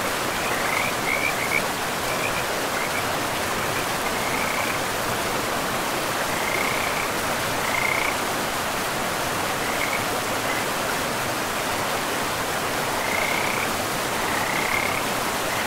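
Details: Frogs calling beside a river deep in a pristine forest: short, high, raspy croaks in loose bursts every second or two, set against steady rushing water that dominates throughout.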